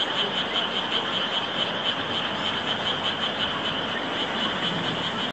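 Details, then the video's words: Many frogs calling together in a steady, unbroken chorus, with a shrill pulsed trill repeating rapidly over a thick bed of overlapping croaks. "개구리의 합창"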